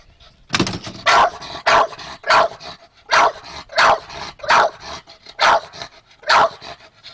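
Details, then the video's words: Pet dog Chester, angry that the golf cart has not started, gives a steady series of about nine loud, sharp barks, spaced around half a second to a second apart, with brief quiet between them. "My Dog, Chester Is Barking At My Golf Cart"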